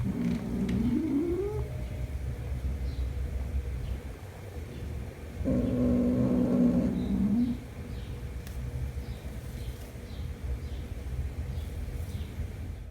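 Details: Kitten named Jumper reunited with his mother cat after one month apart; a rising meow early on, then a longer wavering mid-pitched cry around the middle, over steady low background rumble.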